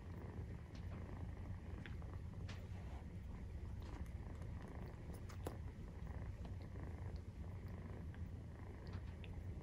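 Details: Steady rumbling purr of a Maine Coon cat during nursing, kittens 43 days old, with scattered light clicks and faint soft rustles over the constant low drone.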